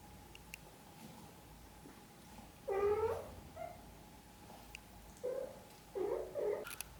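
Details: Mother cat tending her kittens; a drawn-out, harmonic-rich meow, then a short mew and several shorter, higher mews toward the end, over a faint steady hum.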